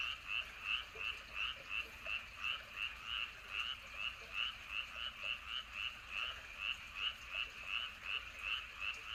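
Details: Frog calling at night in Andong, South Korea, by Wolyeong Bridge and Hahoe Village: short, bright, pulsed croaks repeated rapidly, nearly three per second, in a regular rhythm over a quiet, soft background hiss.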